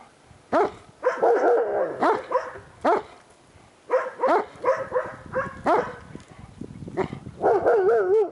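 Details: Outdoors in snow, Kimber the paraplegic Shiloh Shepherd barks from her homemade cart at passing dogs, a rapid run of loud barks mixed with whiny, wavering yelps toward the end.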